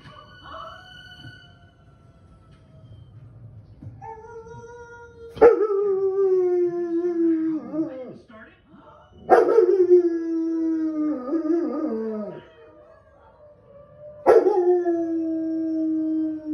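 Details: German Shepherd dog howling in reaction to a movie it is watching: three long, mournful howls, each starting with a sharp onset and then sliding slowly downward, spaced about four seconds apart, over faint film sound.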